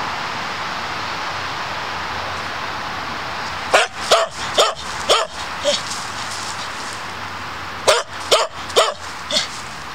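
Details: Dog barking while patrolling woodland to protect its boundaries: two bursts of sharp, loud barks, about five in quick succession near four to five seconds and three more near eight to nine seconds, over steady broadband outdoor hiss.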